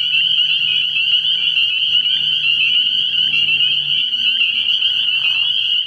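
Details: Many spring peepers at a pond on an early-year night, their high piping calls blending into a continuous shrill drone, with a few low, faint tones beneath.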